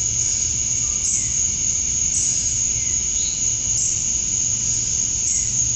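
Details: Male cicadas at dusk on a Georgia, USA summer night, chirping for females: an unbroken high, buzzing wall of sound with a few faint brief chirps rising above it.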